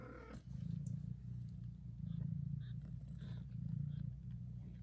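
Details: Loud purring of a mother cat caring for and feeding her newborn kittens, a lullaby for them; a low throbbing rumble swells and eases with each breath, after a short higher squeak at the very start.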